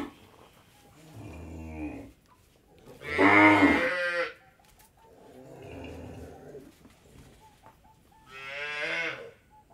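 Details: Cows on an Indian dairy farm moo four times in turn, with deep, drawn-out calls that have a rough, nasal edge.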